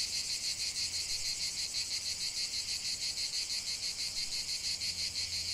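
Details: Cicadas singing in a lavender field: a dense, continuous, high-pitched buzzing chorus that swells and fades in steady pulses about three times per second, with a faint low hum underneath.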